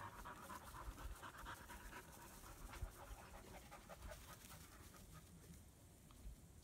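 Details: German Shepherd puppies in Florida, a young female and her half-brother about three months old, playing together for the first time; quick breathy panting bursts repeat several times a second, with soft rustling and a woman's voice murmuring nearby.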